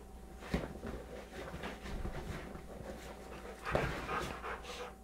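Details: American Bulldog Bulka, 3.5 years and 100 lbs, wrestles on a sofa with 11-month-old, 25 lb Beagle Maxwell in play-fighting. Heavy rhythmic panting and snuffling fill the recording, with sharp thumps near the start and middle.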